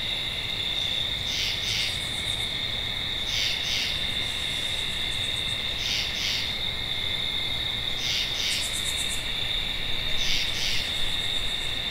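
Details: Tree frog calls as twin high grating bursts repeated every couple of seconds, riding over a continuous high-pitched drone, with brief higher rattling pulse runs now and then.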